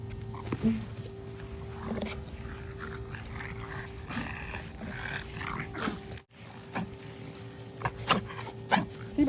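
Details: A French Bulldog has an inverted reverse sneezing episode, giving short, harsh snorting gasps over a steady hum while a person talks.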